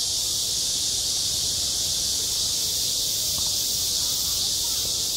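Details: Cicada song in midsummer at a school playground: a constant bright, sizzling high drone without breaks, slightly swelling at the end, over a quiet low-pitched background.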